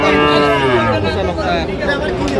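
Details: Sahiwal cattle at a busy cattle market in Gopalganj, Bangladesh, on 22 July 2025, where a farmer buys a Sahiwal bull calf; one long, steady, deep harmonic moo lasting over two seconds, with people talking in the background.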